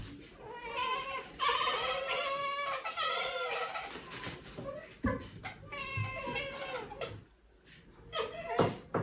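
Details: Domestic cat chirping and chattering indoors in a small room, a run of rapid stuttering harmonic chirps in quick bursts, pausing briefly, then another burst of fast ekekek-like chatter, with faint background sounds.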